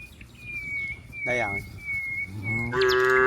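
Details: Cows in green rice fields, heard as two short moos, the second rising into a strong nasal call, over a thin, steady high-pitched whine that runs through the background.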